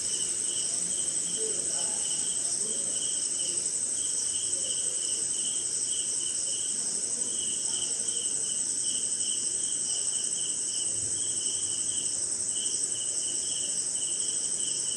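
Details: Rainy night somewhere in India, crickets and other insects by a swamp: an unbroken thin, shrill whine overlays beaded chirping that keeps a regular pulse, with soft low rustling background.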